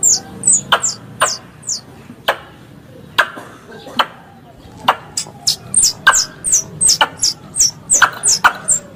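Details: Squirrel calls combined into a three-in-one lure for hunting squirrels: high, thin chirps sliding downward, given in quick bursts and irregular runs, broken by sharp dry clicks and a low background hum.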